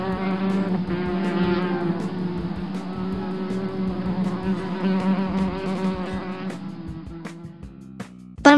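A bumblebee's steady, low droning buzz, rich and humming, holding an even pitch throughout.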